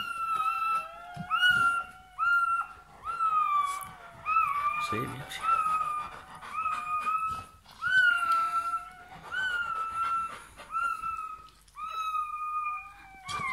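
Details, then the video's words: Bernese Mountain Dog puppy just born, indoors, giving repeated high, wavering whines and squeals in bursts of one to two seconds, while a person speaks French softly nearby. "Naissance d'un chiot bouvier bernois"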